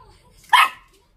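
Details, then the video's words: Short-legged Dachshund kept as a pet, talking back to its owner; one short, sharp bark in the middle, preceded by soft background murmur. "숏다리 닥스훈트 폴리쉬 vs 멍멍이삼촌 대화가 되는 넘"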